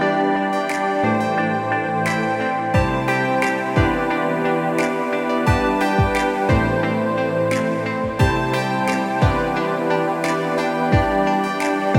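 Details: Gentle new-age instrumental music with soft repeated piano-like notes plays throughout, no animal voice heard.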